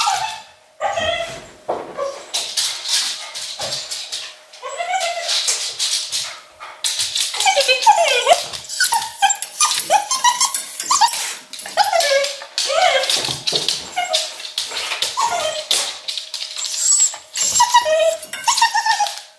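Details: Alone in a Berlin home, English Cocker Spaniel Luna shows severe separation anxiety after more than a month of lockdown togetherness. A near-continuous stream of high, bending whines, yelps and harsh barks, repeated without pause, over a low steady hum.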